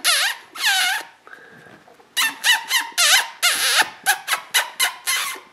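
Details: Shrill wavering squeals from a 2014 sable merle Border Collie litter of Koda and Skye, long drawn cries at first, then a string of shorter arched squeaks in rapid succession.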